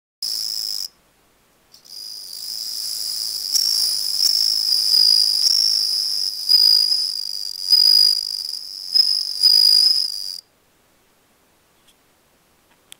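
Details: A male bell cricket (Meloimorpha japonica) gives its first song of the season, 17 July 2012: a clear, high, ringing trill, steady and pure like a tiny bell.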